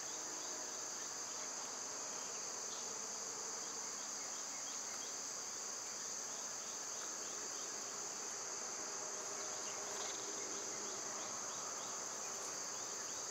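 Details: Loud summer cicadas keep up an unbroken high-pitched droning whine over the whole stretch. Faint, scattered bird chirps sit beneath it, with a short rustle near the end.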